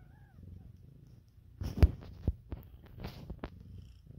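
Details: Purring from the newborn kittens of Siamese cat Lopsie and calico cat Gipsy, kept at home. A quiet low purr opens, then several sharp thumps and rustling handling sounds break in over the continuing rumble.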